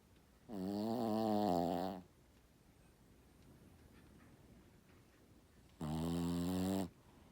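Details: A Shih Tzu asleep, giving two loud, buzzy snores with a strong layered tone, the first about one and a half seconds and wavering in pitch, the second shorter, separated by a quiet four-second gap.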